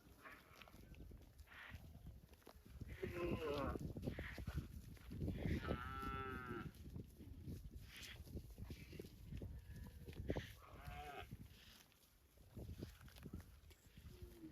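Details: Cow mooing: three drawn-out, harmonic-rich moos at intervals, the loudest near the middle, with low rumbling background noise throughout.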